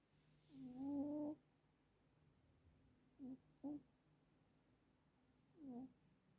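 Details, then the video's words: Sleeping cat snoring: a long, squeaky, nasal tone with a rising then falling pitch, followed after a pause by two short squeaks close together and one more drawn-out wheeze. "Когда храпит кошка"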